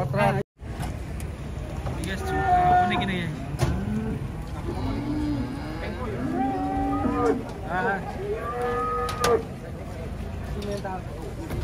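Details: Cows coming down off a truck moo repeatedly, a series of drawn-out, wavering lows that overlap one another, with human voices, vehicle noise and some clanking around them.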